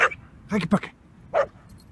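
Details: Halo, a male Samoyed seven and a half months old, during a morning walk and play: two quick low barks in a row, then a brief higher yelp, while a person talks over them.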